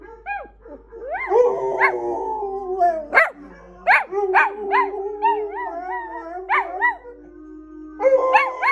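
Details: A chorus of pet dogs howls, long sustained wails overlapped by short, sharp yips and rising yelps that repeat throughout.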